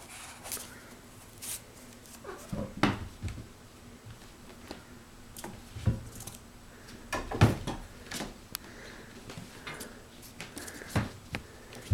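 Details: Scattered knocks, thumps and rattles in a small indoor room over low background hum, with no animal call.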